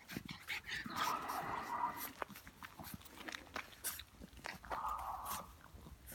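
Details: French Bulldog puppy, indoors, giving two drawn-out, high nasal whines, the first about a second long and the second shorter after a pause, with scuffling and handling noises between.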